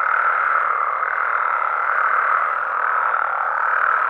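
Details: Many frogs and toads calling together at night in Mexico, their croaks merging into a steady, dense mid-pitched drone without pauses or clear individual notes.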